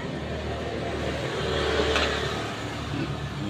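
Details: A revving vehicle engine rumbles throughout, with some background talk; no animal sounds stand out.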